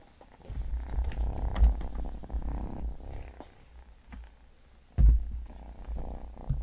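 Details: Domestic cat purring while eating a pyramid of shrimp, a steady low rumble throughout, broken by crunchy chewing clicks and a few louder bites near the start and around the fifth second, indoors with no talking.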